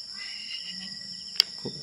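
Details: Crickets (kuliglig) at night beside Yambo Lake in Nagcarlan, Laguna, at a campsite: a steady, high, unbroken shimmering trill, with a soft low murmur of voices and a single sharp click near the end.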